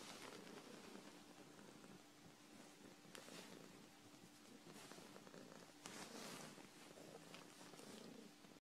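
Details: Purring from Phoebe, a dilute tortoiseshell domestic shorthair in foster care after rescue from a hoarder's cage: continuous quiet rumbling purr with small rustles and a few louder bursts of movement in a small indoor room.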